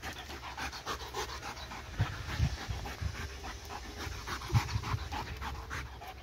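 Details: Domestic dog chasing a laser pointer indoors, breathing in rapid, airy pants with dull low thumps from its movement around the second and fourth-and-a-half seconds.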